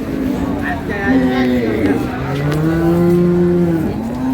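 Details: Cow at Ambari livestock market in Dinajpur, Bangladesh, where dairy cows and calves are sold: a drawn-out, even lowing moo lasting over a second near the end, beneath market chatter and voices discussing the animals.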